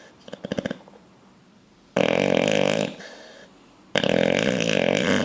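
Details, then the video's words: Bulldog asleep, twitching as it dreams, makes a quick fluttering snuffle, then two loud, drawn-out, grating snores, each over a second long. "Bulldog snoring dreaming twitching"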